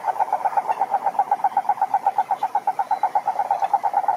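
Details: A cururu toad (Rhinella marina) at a lake in the Brazilian Atlantic Forest gives a clean, evenly spaced pulsed trill at a steady mid pitch, the pulses very regular for over four seconds.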